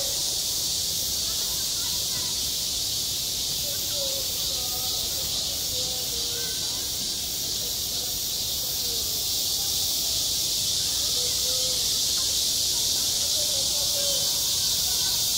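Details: Cicadas droning at a school playground in high summer, a long steady high-pitched buzz with slight pulsing, and faint scattered tonal sounds drifting below it.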